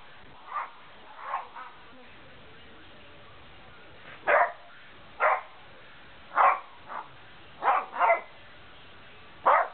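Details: Two dogs at play, a big white Malamute and a small brown Puggle, trading short sharp barks and yips, single or in pairs, spaced one to two seconds apart, with quiet pauses between.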